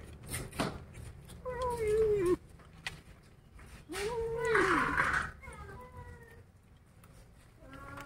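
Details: Kittens growl angrily while eating a rat: arching moaning cries, a harsh hissing burst, then quieter tails of wailing, amid handling noise and soft background talk.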